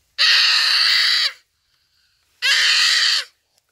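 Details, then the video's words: Wild common duiker caught by a cheetah at Phinda Private Game Reserve on a rainy afternoon, calling for help while dying; two harsh, hoarse screams just over a second each, separated by silence. "Buck Cries for Help from Cheetah"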